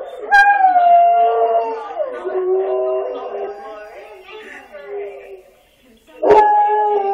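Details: Yellow Labrador Retriever howling at an answering machine; one long wavering howl that gradually falls and fades over about five seconds, then a fresh loud howl starts near the end.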